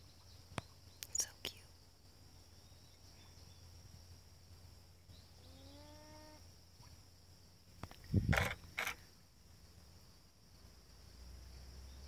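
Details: A North American beaver at Wachusett Reservoir, Massachusetts, USA, on August 20, 2018, gives a brief, nasal whining call, rising slightly, calling for a missing companion after tail-slapping the water in warning.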